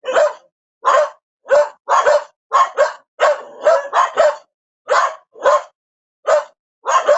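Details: Dog barking in short sharp bursts, about a dozen barks over seven seconds, some paired in quick doubles, with brief silent gaps between; no other sounds.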